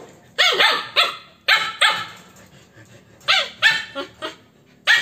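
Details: Corgi and Alaskan puppy playing together, giving sharp, high yipping barks in quick pairs and short bursts, about nine across five seconds, each with a bright, ringing edge and quiet gaps between.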